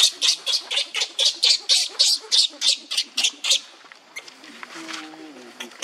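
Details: Young monkey Leo crying on the ground while another monkey, Libby, torments him: a rapid run of harsh, high squealing cries, about four each second for three and a half seconds, then fading into quieter rustling and faint background sounds.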